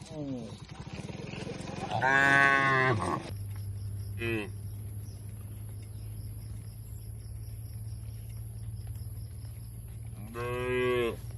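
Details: Tame cattle eating fresh grass in the middle of an oil palm plantation in rural Indonesia; a loud harmonic moo of about a second, shorter lowing calls before and after, and a steady low engine-like hum throughout.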